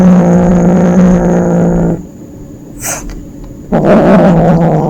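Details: Small kitten playing at hunting lets out a low, harsh growl that holds for two seconds, goes quiet with a brief scrape, then starts again with a wavering, rumbling growl.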